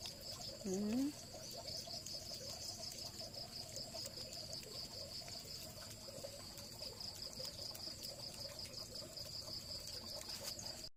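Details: Pet cat overjoyed at getting snacks gives one short rising meow near the start, then falls quiet; a steady high-pitched whine and a low background hum run throughout.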